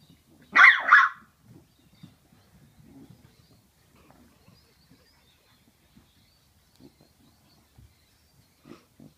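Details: Two 10-week-old French Bulldog puppies playing together: a pair of sharp, high yips in quick succession near the start, then low scuffling, soft grunts and snuffles, with a brief faint yelp near the end.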